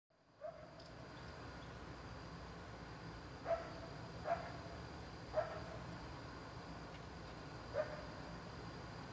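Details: Dog. Brief, sharp barks come from a dog, spaced unevenly a second or more apart. The barks sound somewhat distant, and a constant low hum with faint noise fills the gaps between them.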